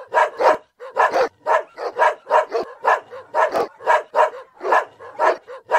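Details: Smash, a Boerboel from Blessed Empire Kennel, that won't stop barking; deep, punchy barks about every half second, each a broad bark with clear breaks between them.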